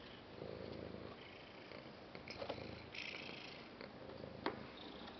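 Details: A cat purrs in a quiet indoor setting. The low pulsed rumble comes in soft waves, with a few faint clicks and rustles mixed in.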